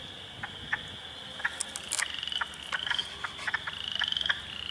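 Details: A spring swamp at Heartland Forest, Ontario, April 2, 2022, with hundreds of frogs including Spring Peepers, Wood Frogs and Eastern Chorus Frogs: continuous shrill trilling overlaid by irregular short clucking notes and a few piping peeps.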